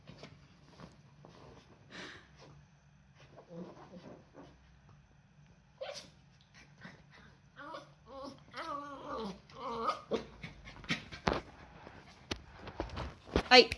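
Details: Eight-week-old Cardigan Welsh Corgi puppy named Diëgo during playtime indoors, getting into belongings: soft scuffles and taps, then a wavering, rising-and-falling whine that loops up and down for a couple of seconds, followed by sharp clatter and knocks.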